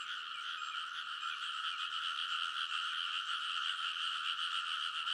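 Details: Many frogs chorusing from a rice paddy ridge in Konosu, Saitama, Japan, late at night in early summer, captured with a TASCAM Portacapture X8; thick, shimmering mass of fast croaks holding steady loudness throughout.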